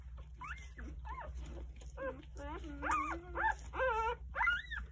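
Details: Jindo dog Sarang gathers her nine newborn puppies, three days old, to nurse at home; clear rising-and-falling whines and squeaks follow one another about twice a second, some long and wavering, over a faint low hum.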